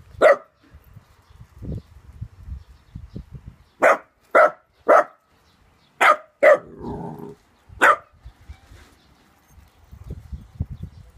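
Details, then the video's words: Pet dog named Trixie barking at a cat named Maskepot, which ignores it: sharp, loud barks, one at the start, then a run of three, then two more, then one near the end, with quiet rustling between. "Dog barks at cat"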